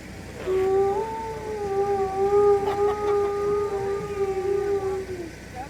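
A single drawn-out wolf howl, a smooth, mournful tone held level for nearly five seconds. It dips slightly and trails off at the close, with faint background hiss behind it.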